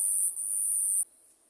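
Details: At night, a cricket delivers a loud, piercing high trill for about a second, then it abruptly drops to a much quieter distant trill.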